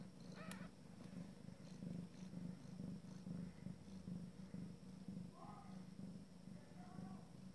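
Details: Abyssinian mother cat with her first litter at their first meal together. A low, rhythmic purr throbs steadily, with a sharp click near the start and two brief, faint, high squeaks toward the end.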